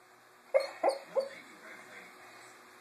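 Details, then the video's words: Almost four-month-old female English Mastiff puppy dreaming during a nap in a kitchen: three short muffled whimpering yelps in quick succession, followed by soft low murmuring in a quiet indoor room. "English Mastiff- Thora dreaming"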